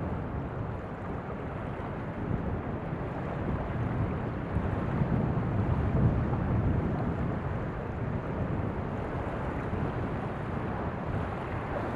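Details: Steady wind rumble and surf on the Black Sea shore at Kinburn Spit in spring, with a low boat-engine drone and no animal voices.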